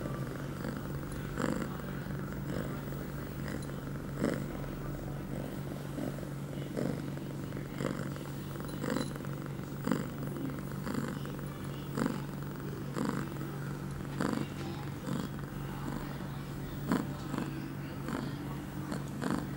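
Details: Pia, an eight-month-old female pet cat in heat, filmed September 23, 2011, two hours after her first birth control pill; steady low purring with soft rhythmic breath pulses about every second and a half.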